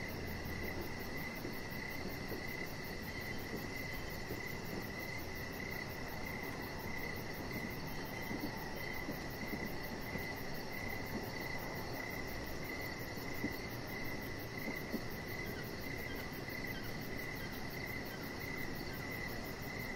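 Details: Evening crickets outside near a deck with decoration lights and a resting chihuahua puppy, keeping up a continuous, evenly pulsed mid-pitched chirping over a soft rumbling background, with a thin very high rapid pulsing running alongside.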